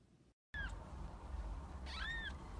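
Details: Kittens in a compilation: two thin, high mews, the second arching up then down, over a steady low rumble after a brief silence.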